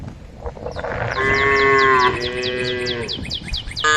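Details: Tame female cows in a group calling out to a herd of angry cows: one drawn-out, harmonic moo lasting about a second, over a steady series of rapid, high, repeated chirping strokes.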